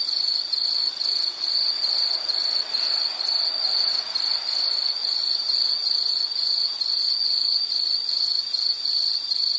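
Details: High, piercing insect chirps repeat in quick succession, about two to three pulses a second, steady and persistent over a faint wash of lower noise.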